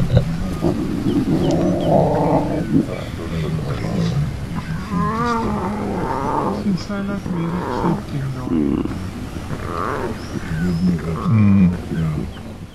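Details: A lion cub, believed to be the last remaining cub of the Ximhungwe Pride after its mother died from a fight with hyenas, gives wavering, moaning mews and grunts while people talk nearby on safari.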